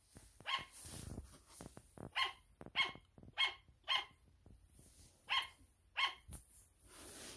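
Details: Sugar glider barking indoors: short harmonic yaps with strong upper overtones, repeated irregularly about every half second to a second, with gaps between bursts and some soft handling noises.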